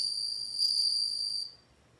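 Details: A bell cricket rings a bright, high, sustained tone for about one and a half seconds, then stops abruptly into quiet.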